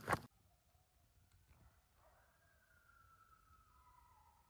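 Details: Distant coyotes howl in pitch darkness around 7 pm near a campsite in New York, long drawn-out tones slowly sliding downward in pitch; their location is hard to tell.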